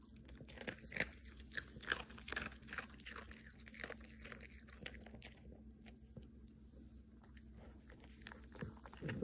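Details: Cookie, a Pomeranian dog, munching food: repeated crisp crunches every half second or so through the first six seconds, then a lull of soft chewing before a few final bites.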